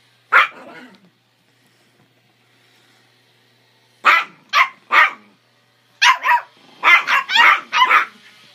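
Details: Two Chihuahuas, a three-month-old pup and a 13-year-old adult, fight over a bone. One shrill yap, a few quiet seconds, then a fast run of about eight high, snappy barks in quick succession.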